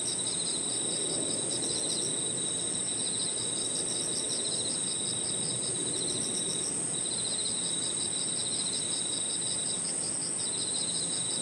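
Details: Park at evening filled with cricket and insect song: a sustained piercing high note alongside groups of fast pulsing trills broken by short pauses, with gentle low ambient rumble.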